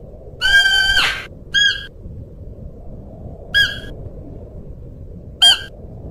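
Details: Siberian musk deer calls: one drawn-out, harmonic, slightly wavering cry, then three brief clipped calls spaced roughly two seconds apart, against a quiet low-pitched background hum.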